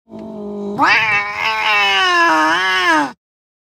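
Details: Angry Siamese cat: a short low steady growl, then a loud, long, strained harmonic scream that wavers slightly in pitch for over two seconds before cutting off abruptly.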